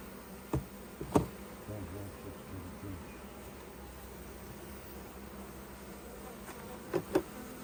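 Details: Opened beehive during honey taking, honey bees droning steadily at low pitch while several sharp knocks and taps of frame handling break through near the start and end.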